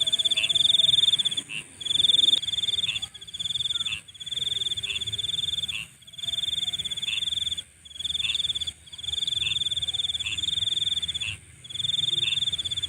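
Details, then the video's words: Nighttime insect chorus of a piercing, buzzy trill broken by frequent short gaps every one to two seconds, with faint lower rounded notes and a soft low rumble behind. "Nighttime Insect Sounds"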